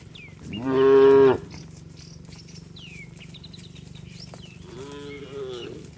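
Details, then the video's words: Tame village cattle heading home to the shed, calling to companions: one loud, steady moo followed by a softer, shorter, falling moo, with bird chirps and whistles in the quiet between. "Suara sapi Moo memanggil temannya"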